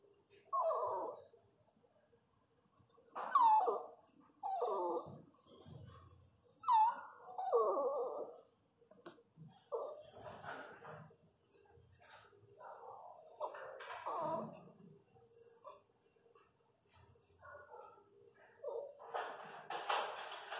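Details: Whining from a Pinscher during the natural birth of puppies to the female Lara: short, strained cries rise and fall, each a quick bending whimper, repeated at uneven gaps with quiet breathing between.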